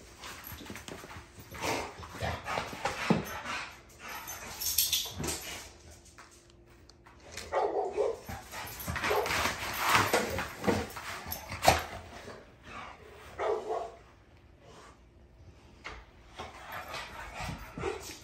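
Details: Navi, a female dog, barks and grumbles in rapid, irregular clusters, pausing briefly before several more rough bursts. Scuffling sounds continue throughout.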